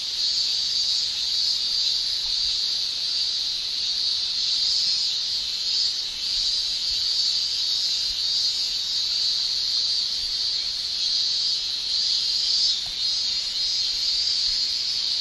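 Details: Cicadas in summer in Japan, with males producing their tymbal song: an unbroken, high-pitched shrill that holds steady for the whole stretch, with a slight pulsing swell and no other clear sounds.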